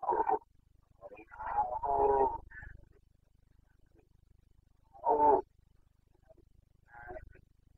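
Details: Carpathian red deer stag bellowing in the breeding season, Bucovina, 29.09.2022. Deep, rough roars come in uneven bouts, one stretched into a longer groaning phrase, then a strong single roar and a fainter closing call.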